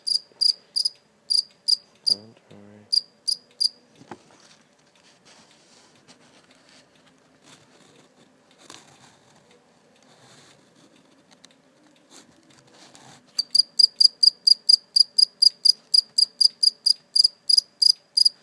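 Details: Live cricket kept briefly before release: high, clipped chirps in short groups open the clip, then a long silent stretch with faint rustles, before a fast, steady train of bright chirps resumes near the end.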